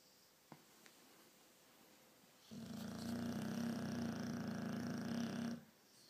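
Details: Loud snoring from a sleeping pet dog during a night indoors: after a quiet stretch with a faint click, one sustained three-second rattling snore, steady and buzzy with a strong low drone, then silence.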